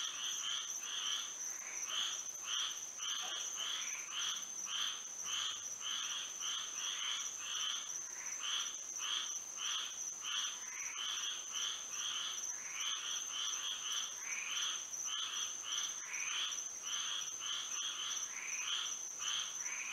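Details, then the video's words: Many frogs singing together on a moonlit Florida night, a busy chorus of fast, uneven croaking bursts overlapping continuously, backed by a steady high-pitched hum. "A frog symphony to sleep and relax to"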